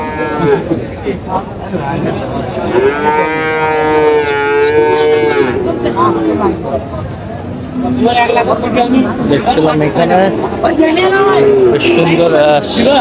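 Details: Sahiwal cattle, including bull calves, at a busy cattle market in Chandpur, Bangladesh, on 23 July 2025: a long, sustained, low, even moo partway through, then shorter overlapping lows, amid constant crowd chatter.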